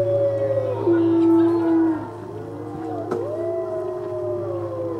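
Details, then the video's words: Captive gray wolves at a Colorado wildlife centre howl together on a full-moon evening feeding tour on 17 November 2013, in long, smooth tones that slide down and rise again, voices overlapping. "Wolf Howls! (Full Moon)"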